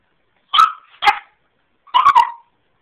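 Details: Dexter, a young Boston Terrier x French Bulldog mix stuck at the stairs he is learning to use, lets out two quick sharp barks, a short pause, then a tight double bark.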